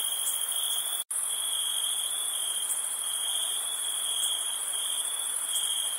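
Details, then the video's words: Nighttime cricket chorus while camping in summer, a steady piercing high-pitched trill on two tones that drops out abruptly for an instant near the first second, then resumes unchanged. "NIGHT CAMPING CRICKET NOISE"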